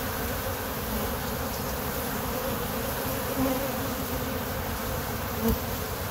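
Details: Continuous low humming drone from a crowd of honey bees at kept hives, with a few brief louder passes of single bees close by.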